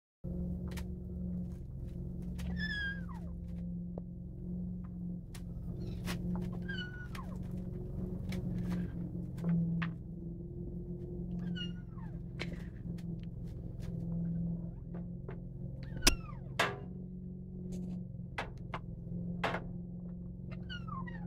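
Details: Kitten being overprotective and greedy with its food, giving several short falling meows spread through the clip, with a steady low hum and occasional clicks and thumps.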